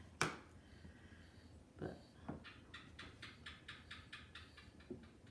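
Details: An Australian gecko inside a house gives a quick series of sharp, clicking chirps, with a few faint knocks before it.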